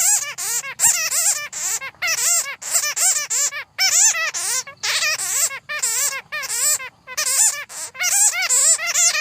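Bats chatter in rapid bursts of high, squeaky, warbling calls with short pauses between them.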